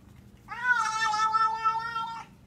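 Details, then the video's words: Domestic cat giving one long, drawn-out yowl of nearly two seconds, steady and strongly harmonic with a slight wavering, rising at the start and fading at the end, in a quiet indoor setting; a person speaks just before and after. "Cat Sounds Like The Exorcist"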